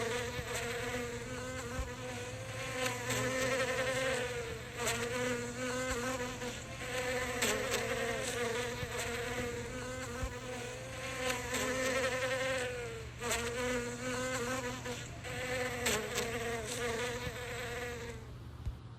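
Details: Immersive close recording of a bee collecting from flowers. A long, soothing drone rises and falls slightly in loudness and pitch, then cuts off sharply just before the end.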